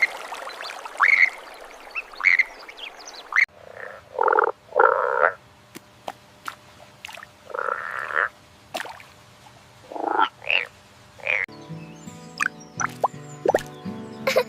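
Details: Indian bullfrog, a rare yellow-coloured frog, calling: short, harsh, nasal croaks in bursts of two or three, repeated every couple of seconds, with faint clicks and a low hum between bursts.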